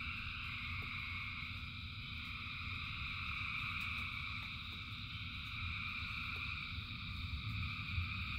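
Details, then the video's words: A rainy-night frog chorus with thousands of frogs: continuous high trilling bands from many callers, a stronger low rumble of rain and water underneath, and scattered short drip sounds. "Frogs in Rain 2 Hours of Frogs, Thousands of Frogs Singing"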